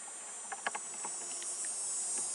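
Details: Cicadas sing a steady, high-pitched buzzing drone, with a few soft clicks and taps close by, on a sunny 23°C day in the first week of August during a beehive inspection.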